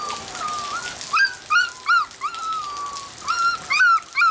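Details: Several young Border Collie pups, black-and-white and blue merle litter born 25 September 2013, give high, sliding whimpers and short rising squeaks, a few drawn out, repeating almost every half second.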